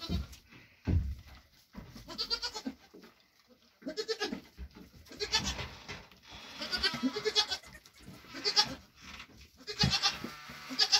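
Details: A Nigerian Dwarf goat mother, mother of triplets born June 18th 2023, bleats repeatedly in short nasal, quavering bursts while getting her grain ration after a hoof trimming.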